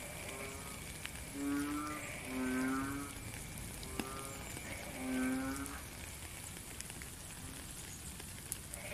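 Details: During rain, a frog utters three hoarse, low croaks in the first half, then falls quiet while the steady rain noise carries on.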